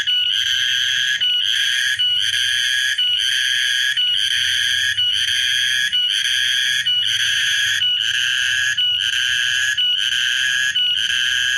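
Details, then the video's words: A cicada, recorded 14 March 2023, sings a loud, shrill, continuous buzz that briefly falters about once every second. "Tonggeret bersuara - nyanyian binatang - binatang bersuara"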